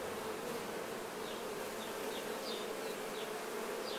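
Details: Many honey bees cleaning nectar from themselves as honey is taken from the hive, producing an even, unbroken buzzing hum with small high-pitched squeaks sliding downward in the second half.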